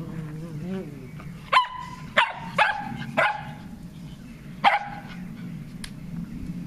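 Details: Shetland Sheepdogs Leo, an eight-year-old senior, and young Maeva playing in a garden on 12 June 2014; five sharp harmonic barks between the second and fifth seconds, after a low murmuring voice at the start.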